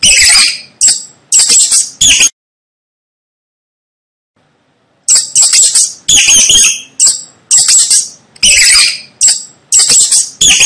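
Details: Rat squeaking in rapid shrill bursts, high and scratchy, several short chirps in a row, then nearly three seconds of silence before a longer run of similar harsh squeaks.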